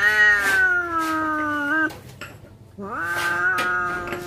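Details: Cats about to fight trading drawn-out yowls: a long, slowly falling wail, a brief pause, then another yowl that rises and holds steady.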